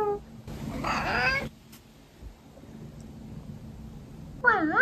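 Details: A pet cat that responds when spoken to gives a long, wavering meow, then after a quiet pause a second meow that dips and rises, with faint low hum indoors.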